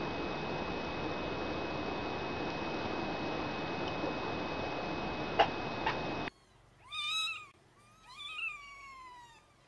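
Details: Domestic mother cat carrying her kittens, talking to them. A long stretch of steady background hiss comes first, then two short, clear, tonal meows, each rising and then falling, about a second apart.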